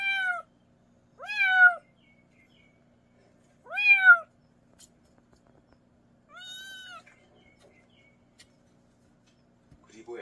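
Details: Young mountain-village kitten, about a month old, meowing as a sound to repel rats in the countryside; four clear arched, slightly nasal meows at irregular gaps of two to three seconds in a quiet room.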